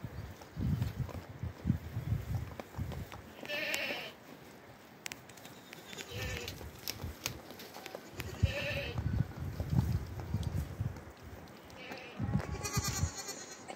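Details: Goat kids giving short, nasal bleats every few seconds, partly masked by heavy low rumbling and knocking noise close to the microphone.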